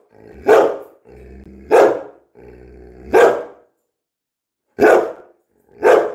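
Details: Coco the Labrador Retriever, a mischievous pet dog at home, barking five times in sharp, loud bursts roughly a second apart, with low growly rumble between the first few.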